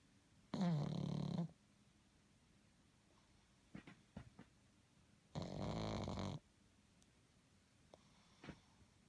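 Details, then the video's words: Sleeping pug with two loud, rasping snores about five seconds apart, each near a second long and low-pitched, plus small clicks and snuffles in the quiet gaps. "Pug snores"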